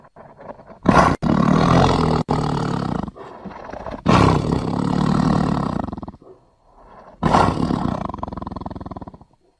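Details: Repeated deep, rasping tiger roars, three strong bursts spaced about three seconds apart, each starting abruptly, rumbling with a rapid pulsing texture and tailing off into softer grunts.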